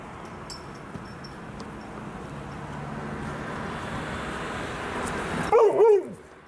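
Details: Female Alaskan Malamute outdoors on a long walk, meeting donkeys for the first time: after a steady rushing background with a person talking, two short, loud, arched barks come close together near the end.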